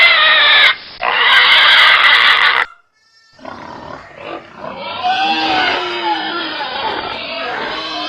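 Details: Pig squealing loudly. A piercing, high, harmonic scream is cut by a brief gap and ends abruptly. After a short silence, a second, rougher, wavering squeal builds and continues to the end.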